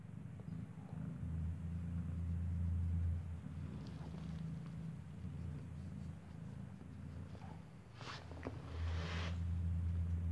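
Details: Low, throbbing purr during nursing as a kitten whose eyes have not opened feeds from mother cat Kartopu inside a building; the rumble swells loudly at the start and again at the end, with brief rustles.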